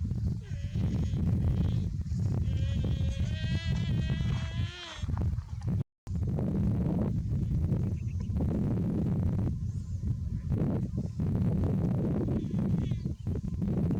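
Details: Young buffalo overheated in the heat: one wavering, harmonic bawl lasting about three seconds rises and dips before breaking off. Strong low wind noise covers the rest of the recording.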